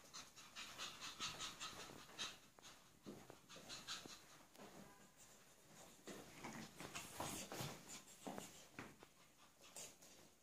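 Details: Pomeranian at the Impala kennel in 2015, heard as rapid, breathy panting in quick irregular bursts, with faint squeaky whimpers and soft rustling throughout.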